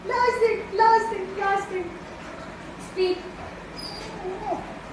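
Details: Pet dog whining whenever asked to do something: three drawn-out, nasal whines in quick succession over the first two seconds, then a few softer, shorter whimpers, with a woman's voice nearby.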